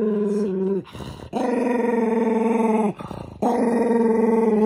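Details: {'caption': 'Toy poodle named Minato, the eldest, growling angrily while having socks put on; long sustained harmonic growls in two stretches broken by brief rustling gaps.'}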